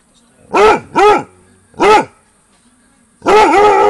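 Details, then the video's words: Basset Hound barking at 22:00 on a summer holiday night, reacting to activity near a bungalow: three separate deep, arched barks in quick succession, then a longer, louder burst of barking, with a quiet background between calls. "Basset Hound barks into the night"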